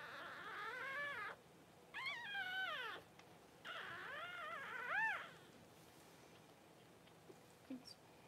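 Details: Newborn Cavalier King Charles Spaniel puppies during whelping, from mother Paris's first litter, indoors. Three high, whining cries with arched, rising-then-falling pitch, each lasting about a second, separated by short pauses, then quiet room background.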